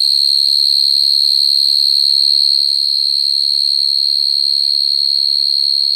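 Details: Calling song of a field cricket singing naturally to attract females at night, used for trapping crickets: a continuous shrill, even trill that holds one high pitch for the whole stretch, slightly softer after the midpoint, over a faint low hum.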